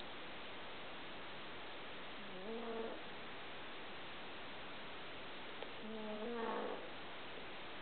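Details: A pet dog lies asleep on a bed, snoring heavily. Two rough, nasal snores come about four seconds apart over a steady background hiss.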